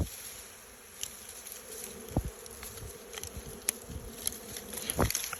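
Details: Honey bees buzzing while their honey is taken, a steady low droning hum with scattered sharp clicks and taps over constant background noise.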